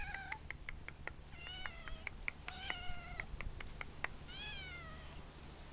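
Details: Fourteen-week-old kittens take turns in a round, trading thin, high meows that arch up and down in pitch. Voices overlap and repeat quickly, ending in a longer drawn-out wail, over sharp clicking sounds.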